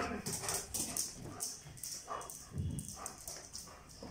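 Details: Popo, a German Shepherd, greets its returning owner home from the office with happy excitement: short soft whimpers and yips come in quick uneven bursts, roughly two a second, over rustling household noise.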